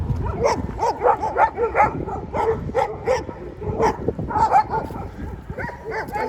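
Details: Two overexcited Siberian Huskies, picked up after a stay at a dog hotel, on a 2.5-hour walk home outdoors; a quick run of wavering, whining yowls that rise and fall, several each second, with a background hiss of wind or traffic.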